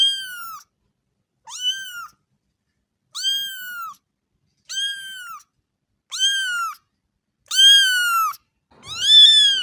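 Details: Young kittens mewing steadily, high arched calls repeated roughly every second and a half, growing louder toward the end, with a final rougher, scratchier cry.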